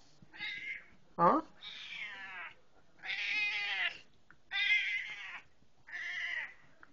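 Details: Pet cat talking as its owner comes home, giving a string of drawn-out, wavering meows with one short sharp cry, interleaved with the owner's speech in a small indoor room.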